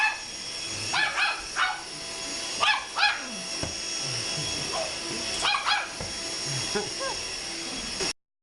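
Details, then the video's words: A Chihuahua attacks a vacuum cleaner as it runs, giving rapid high-pitched yips in doubled bursts, with the steady roar of the machine and faint lower voices in the background. "My dog trying to kill the vacuum cleaner"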